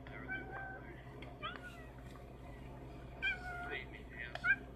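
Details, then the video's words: Cheetahs meowing, an animal whose larynx means it cannot roar like a tiger; short, high, chirp-like mews come in brief bursts near the start, middle and end, over a steady low hum. "Cheetahs meowing"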